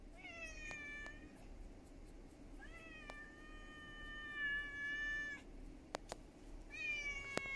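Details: Ginger cat, a stray that turned up at a house one evening in July 2021, demanding help: three drawn-out, harmonic-rich meows, the middle one long and level, separated by short pauses, with a few faint clicks between.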